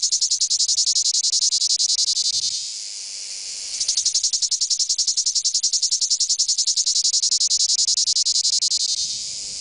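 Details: Male cicadas give a loud, shrill, rapidly pulsing courtship song, breaking off briefly before starting up again.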